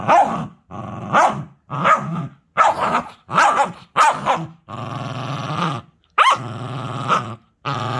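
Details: Cookie the puppy mixes short, choppy growls with rough barks in quick bursts. A longer sustained rumble follows, then more snarling barks, with no background noise.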